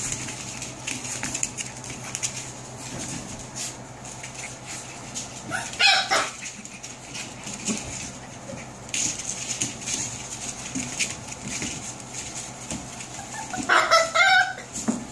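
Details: Seven-week-old puppies giving two short, sharp yelps, one near the middle and a higher, squeaky one toward the end, over a steady background hiss with quiet shuffling between calls.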